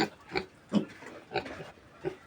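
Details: Native pig piglets being weaned from a pure native sow grunt in five short, separate bursts spaced roughly every half second, each a rough, mid-pitched snort over quiet background.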